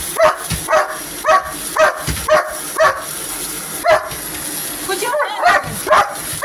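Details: Domestic dog attacking a vacuum cleaner with barks: short, punchy barks spaced roughly half a second apart, fairly even rhythm, over a steady high hiss of the machine.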